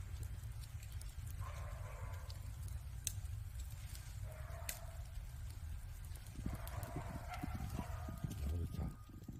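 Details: Cat in winter beside a wood fire, giving three drawn-out, mid-pitched meows, the last longest and sliding slightly, over a low rumble and sharp popping of burning logs.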